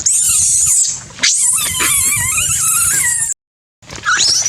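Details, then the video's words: Young monkey giving a unique call to communicate with its group: high, wavering squeals and warbling tones, sustained and pitch-bending, broken by a brief silence before a final rising squeal. "Patty Makes a Unique Sound to Communicate With the Group"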